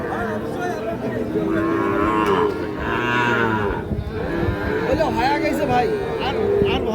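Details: Lowing of Sahiwal bulls and calves at the Ambari cattle market in Parbatipur, Dinajpur, Bangladesh: a few long, harmonic moos rising and falling, with traders haggling loudly over prices in the background.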